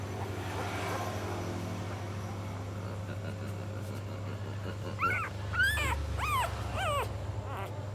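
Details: Hungry puppy crying: after several seconds of a steady low engine-like hum, four or five short, arched, whining cries come in quick succession over the last three seconds.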